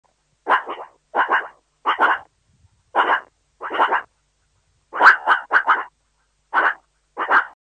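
A meerkat calls in rough, raspy bursts like small barks, some single and some doubled. The calls come at a steady pace of roughly one per second, with brief silent gaps between them.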